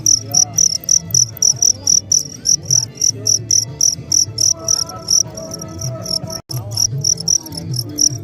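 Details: Cricket song made of short, shrill chirps repeated rapidly and fairly evenly, roughly three or four each second, over a soft low background hum.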